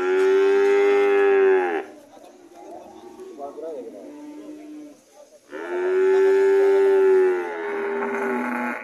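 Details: Red cattle returning home, two loud, long, steady moos nearly two seconds each, separated by a few seconds of softer, wavering lowing.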